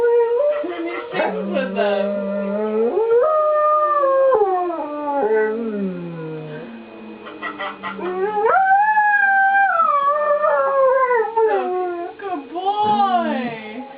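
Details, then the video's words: Domestic dog singing with tornado sirens during a monthly siren test; rising and falling wavering howls with yips and breaks between phrases, a steady siren drone running beneath throughout. "Singing to Tornado Sirens II"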